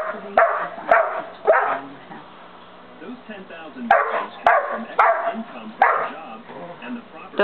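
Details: Dozer, a 5½-month-old St. Bernard, barks loudly to get another dog, Simba, to play: about seven deep, booming barks, some in quick pairs, with a pause near two to three seconds and people talking quietly underneath.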